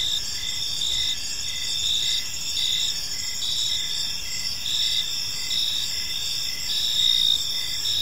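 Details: Evening chorus of crickets in a peaceful park: rhythmic high trills pulsing roughly once a second over a continuous shrill hum and soft distant low noise.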